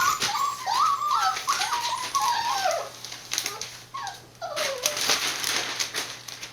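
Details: Whining Border Collie puppies, born 19 September 2020 and filmed 1 November in Fukiage, Hioki, Kagoshima, Japan: a run of wavering, high whimpers with rising and falling pitch, mixed with crackling rustles indoors.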